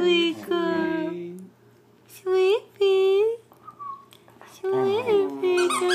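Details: Sweet Pea, a female pet dog told to speak indoors, gives drawn-out, steady harmonic whining tones, then two short rising yelps and a longer wavering whine, while a person coaxes her in a soft voice.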